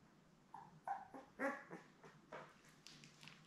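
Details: Labrador Retriever litter of seven newborns, born May 24, 2021, beside mother Belle on a June 4 live puppy cam, giving a string of brief, soft whimpers and squeaks at irregular intervals.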